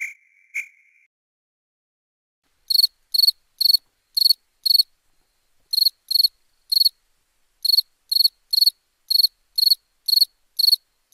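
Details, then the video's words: Crickets at nighttime: after a brief high tone and a quiet gap of about two seconds, crisp pulsed chirps resume, coming in bursts of two to five roughly half a second apart. "Relaxing Chirping Crickets for Sleep Therapy, Meditation and Study"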